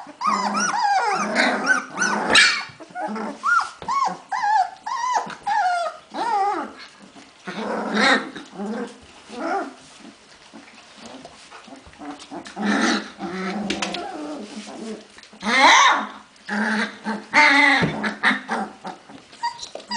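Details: Hungarian Vizsla puppies, filmed 15 February 2011, giving a dense chorus of overlapping whines, squeaks and soft growls, tonal cries bending up and down with short gaps, several pups calling at once.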